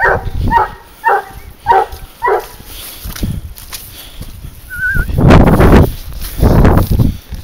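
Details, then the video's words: On a wild boar hunt with a leash, the 22-month-old dog Garuo gives a quick run of five sharp barks, then a brief whine, followed by loud crashing through brush. "caza de jabali a trailla.GARUO"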